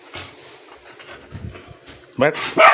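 Soft human murmuring and rustling give way to a burst of loud, high, yelping barks from an Aspin dog. They are the excited calls of a dog at feeding time, as a person tells it to sit.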